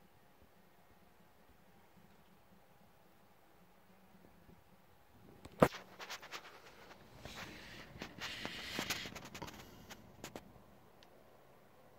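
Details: Near silence indoors, then a sharp knock followed by rustling and scattered clicks of movement, with no animal calls.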